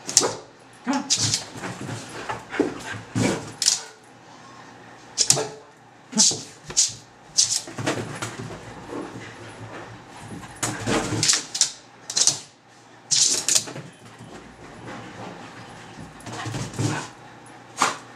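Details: A Basenji gives short, breathy whines and yelps in quick bursts while playing, with a person's voice urging it on.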